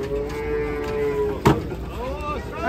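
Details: A large cow coming off a truck in Indonesia gives a sustained, level moo for over a second, then a sharp knock and a wavering, bending call with people talking nearby.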